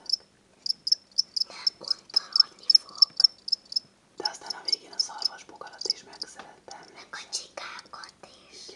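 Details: Pet crickets, a pair kept indoors as a child's gift after being bought as reptile food: a bright, rapid train of high chirps for about four seconds, then whispering and rustling over softer continued chirping.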